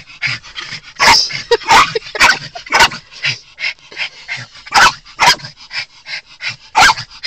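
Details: Miniature Pinscher Choco, twelve years old, frantic at the sight of two other dogs: rapid high yips and whimpering yelps, about two per second, punctuated by several louder sharp barks.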